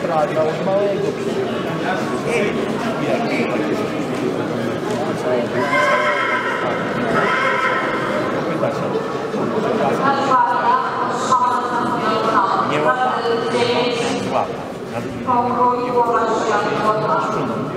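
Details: Polish coldblood (PKZ) mare Balia, born 2021, by Roland out of Brzanka, placed first: wavering, harmonic whinnies rise and fall across the second half over steady human speech, with some hoof clatter.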